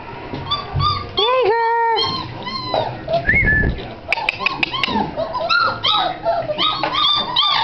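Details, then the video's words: Great Dane puppies, filmed 01-27-09, giving a chorus of whining whimpers and short yips, some calls sustained and others choppy, with a few sharp clicks midway. "Great Dane puppies"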